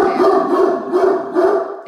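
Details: Great Danes Mikey and Ellie on watch as a truck pulls in: an unbroken stretch of deep, throaty barking, pulsing about four times a second with little break.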